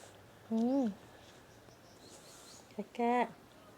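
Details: Pet cat giving two short meows about two and a half seconds apart, each rising then falling in pitch, against a quiet indoor background with a faint murmur between them.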